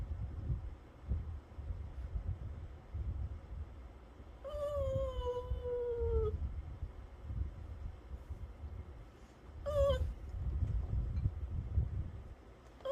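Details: Pet dog at snack time giving two thin, high whines: the first drawn out and slowly falling in pitch, the second short, over a steady low rumbling background.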